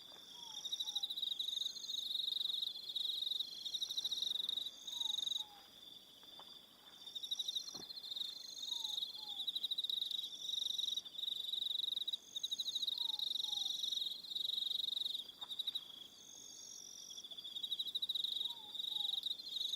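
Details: Several crickets trill through an evening on Aroha Island, New Zealand, a high rapid pulsing drone with shifting upper tones; a faint lower two-note descending call recurs about every four seconds beneath them.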